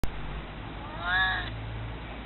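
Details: Elderly pet cat, nearly 22 years old, meowing to ask to be held; a single drawn-out harmonic meow about half a second long in the middle, over a quiet low hum.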